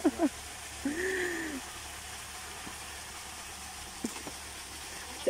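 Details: Breeding buck goat kept at a village home in Nepal, described as playful and harmless; a single drawn-out, arching bleat just under a second long, with brief voice-like sounds at the start and end over steady low background hiss.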